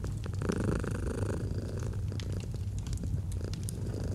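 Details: Domestic cat purring in a cozy autumn setting beside a fireplace: a steady, low rumbling drone with a brief louder swell near the start, mixed with sharp crackles and pops from the fire.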